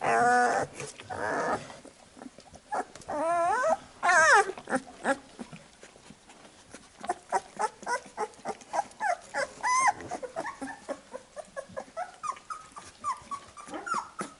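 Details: Labrador Retriever puppies indoors after nursing while their mother licks them clean: scattered short high squeaks and whimpers with a few rising-falling whines, some overlapping, quiet overall.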